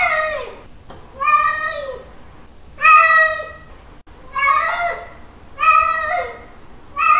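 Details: Cat (Felis catus), mating call: male calling a female.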